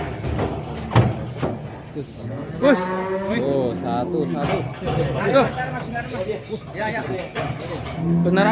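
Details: Huge, rare cattle being led out of their pen; a drawn-out, low harmonic moo rises and falls midway, with people talking throughout and sharp knocks and clatter around it.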